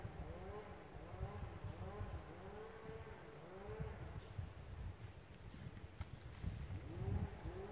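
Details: Red deer during the rut at the Lądek Zdrój forest district game-breeding centre in Poland, a distant stag giving a steady series of short, low, arched groaning roars, one after another roughly every half second to second, over a rumbling low background.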